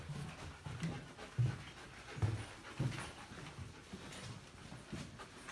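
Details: Kara, a female German Shepherd, hiking through dark ice caves in summer; soft, low, breathy panting in uneven bursts of pulses, with a quiet, enclosed background.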